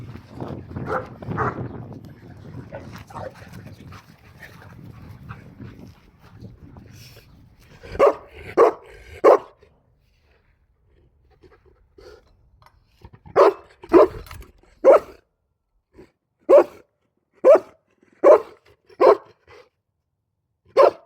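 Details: Boerboels at a kennel: a stretch of rustling handling noise, then loud, deep, gruff barks, first a quick burst of three, then after a pause a steady series of single barks about one second apart.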